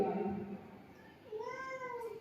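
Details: Domestic cat dashing over to welcome its owner home, letting out a single tonal meow that rises then gently falls, following a short snatch of music and chatter in the room.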